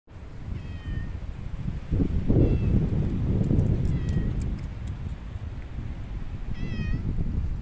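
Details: Pet kitty cat meowing: several short, high, slightly falling meows spaced a second or two apart, fairly faint over a steady low rumbling background.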